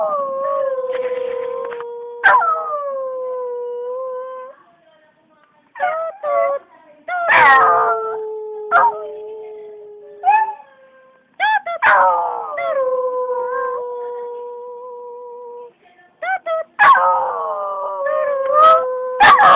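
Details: Singing pet dog in a sequence of sustained mournful howls, some rising then falling, with brief gaps, sharp clapping bursts and a little human voice between notes.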